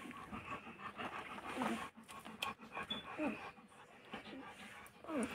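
A German Shepherd puppy pants in quick, rough bursts while a person talks nearby.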